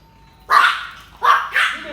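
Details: Dog barking at someone passing in front of a house, during training to stop barking at passers-by: three short, harsh barks in quick succession, the last two closer together, over a quiet background.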